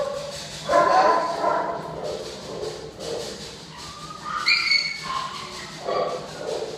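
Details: Two dogs, Joey and Penny, set off barking amid distractions: a few short, harsh barks cluster near the start, a higher yelping bark follows midway and another bark comes near the end, with a man talking and laughing throughout.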